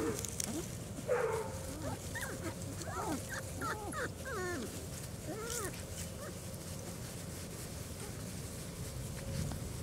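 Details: Litter of four-week-old German Shorthaired Pointer puppies on their first time outside, several pups giving high, wavering squeals and whines that overlap in quick succession, some sharply rising and falling, over a low outdoor rumble.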